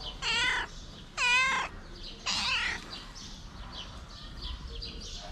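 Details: Hungry homeless street cat giving three loud, strained meows in quick succession within two seconds, then quieter background with faint chirping birds.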